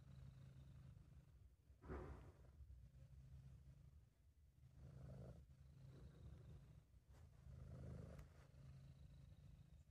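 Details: British Shorthair cat named Sabu purring while relaxed and content, amateur home recording: a steady low rumbling purr that swells in breath-paced waves about every three seconds, slightly louder on each swell, no other sounds.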